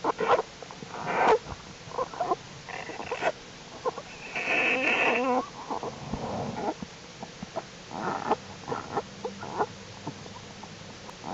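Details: Jewel the black bear's cubs crawling in the winter den on January 31, 2012, a warm spell: a rough, buzzy wavering cry mid-clip amid scattered snuffling, grunting and rustling noises.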